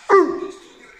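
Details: Newfoundland dog gives a single short, sharp bark with a falling onset, then a brief fading tail; a person's voice is faint around it.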